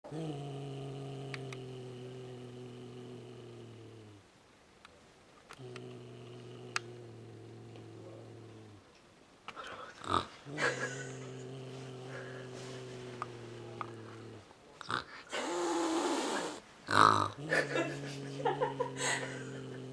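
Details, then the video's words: Nervous cat grunting: low, steady, droning grunts held about four seconds each, separated by short pauses, later mixed with rustling, clicks and handling noise indoors. "Grunting cat"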